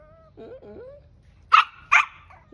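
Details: Stubborn Shih Tzu puppy getting angry: two soft low whines, then two sharp barks.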